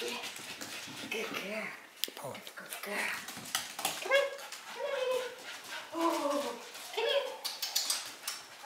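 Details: Havanese named Brandy, an AKC champion aged 8 years, recorded 7-6-15; short tonal whimpering whines rise and fall in several bursts in the second half, with a woman talking to the dog throughout in a small room.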